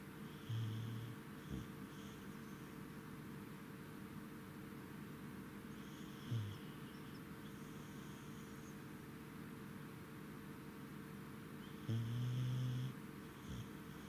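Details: Goro, a Corgi, sleeping tired at night after returning home from Lake Yamanaka on 10 November 2017, gives short, low rumbling snores roughly every six seconds over a steady indoor hum.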